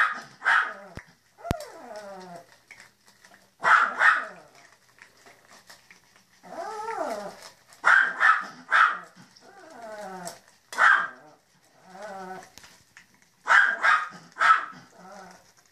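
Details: Puppies at breakfast giving repeated high-pitched yaps in clusters, often doubled, mixed with drawn-out wavering whines and falling whimpers, busy and irregular over about sixteen seconds, with a few sharp clatters.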